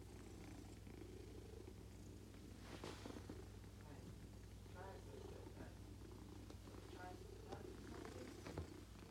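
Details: Female cat purring while having her tummy tickled: a steady, low rumbling purr running throughout, with soft human speech over it.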